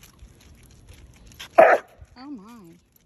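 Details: A basset hound, either Winston or the younger, not fully grown Graham, barks once, short and forceful, on a neighborhood walk. Faint voices come before the bark, and a wavering, drawn-out vocal sound follows it.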